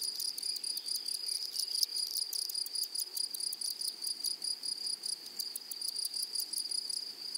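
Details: Flowery meadow with grasshoppers calling: sustained high, sizzling drone, pulsed by fast ticks at about two and a half per second, slightly irregular, with a brief louder tick near the two-second mark.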